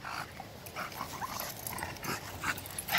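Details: During play between a bulldog and a vizsla, brief high whines and yelps come in quick irregular bursts, with the sharpest cry at the very end.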